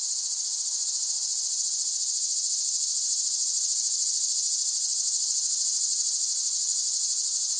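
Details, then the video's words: Loud, steady cicada buzzing fills the whole stretch, a high rasping drone with rapid even pulsation and nearly constant volume. "เสียงจักจั่น ฟังเพื่อผ่อนคลาย (Cicada Sound Effects)【セミの声】"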